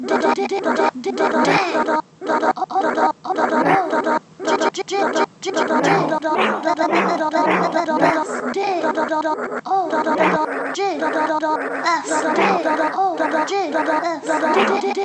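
A Bernese Mountain Dog 'sings' in a run of drawn-out, wavering howls and grumbling moans.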